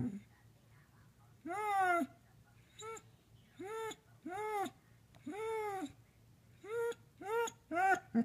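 A Basset Hound gives a string of short, mournful howls that rise and fall, missing her owners.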